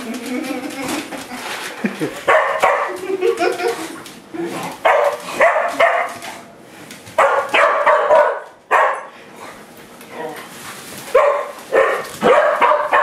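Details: Pet dogs barking angrily at a broom during play; sharp, harmonic barks and yips come in uneven bursts, some overlapping, with people's voices mixed in between.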